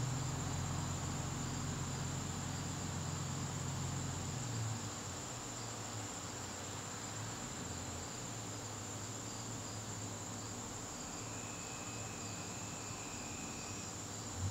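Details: Crickets in a garden on a September evening, a steady high-pitched trill running without a break, with a low rumbling hum beneath for the first few seconds and a brief thin tone near the end.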